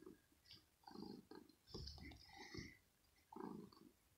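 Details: Annoyed but playful, kitten Rosetta grumbles in her scratching house one morning as a finger teases her: low growling bursts separated by pauses, with thin higher squeaky tones above.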